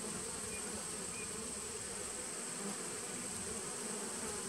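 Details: Honey bee nucleus colony from 2017, recorded 19 September 2018, giving a continuous droning hive buzz, low and layered, holding steady without pauses for the whole stretch, over a thin high background hiss.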